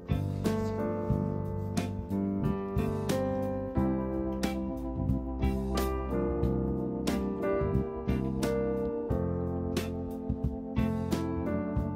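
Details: Electric piano music plays steadily throughout, with keyboard chords and no animal sound.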